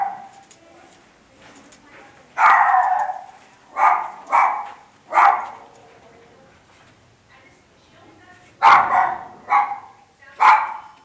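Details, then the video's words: A dog gives loud single and double barks in uneven bursts after a quieter start, with faint background sounds between the barks. "Dog Barking"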